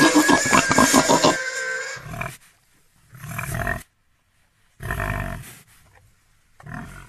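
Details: Pig giving a fast burst of pulsed squealing grunts, then three separate low, rough grunts spaced by silence.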